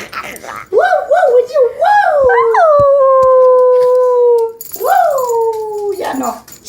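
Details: Pet dog howling along with people singing indoors: a wavering, yodel-like howl rising and falling in quick pulses, then a long sustained tone slowly sliding down, followed by a second swooping howl; voices in the background.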